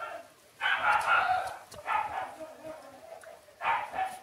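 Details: Newborn Shiba Inu pups named Ôkami and Ikkyu, six days old, let out three separate squealing cries. The first cry lasts nearly a second and is the strongest. Quieter whimpering fills the gaps between cries.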